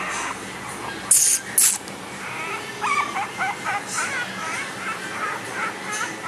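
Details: Cream-coloured female Chihuahua puppy born 20 May 2013, friendly and affectionate, often with a stuffy nose, gives a run of thin, high, wavering whimpers in the second half, after two sharp knocks, over steady background hiss.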